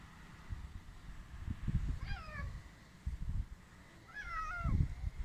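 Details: Stray cats, hungry while being fed, give two meows: first a short falling cry, then a longer, level, drawn-out meow that drops at its end, with muffled thumps and shuffling below.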